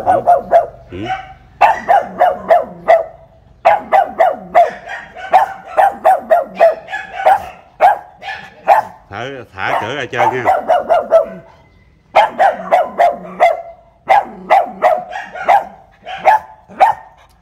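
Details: Pug recently given as a pet, caged before the house door, barks nonstop at a teasing visitor: dense, almost continuous rapid barking with a brief whiny, wavering stretch near the middle and short pauses.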